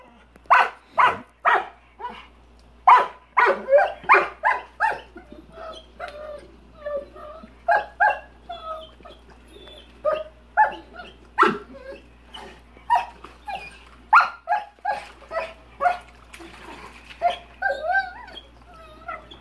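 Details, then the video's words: Rottweiler named PHred barking at a big rock in his swimming pool; rapid, repeated sharp barks mixed with higher whining yelps, dense and continuous throughout, with a brief human voice. "Rottweiler barking at the water"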